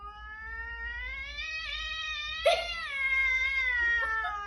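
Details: A stray cat found on the street agitates the house cat at their first meeting; a long, drawn-out tonal meow with rich harmonics, slowly rising, then a sudden louder break midway into a wavering wail.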